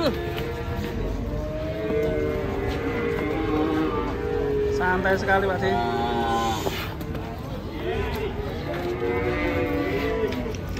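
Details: Raging, agitated cattle giving drawn-out bellowing moos, several overlapping calls rising and falling, with people talking and faint music underneath.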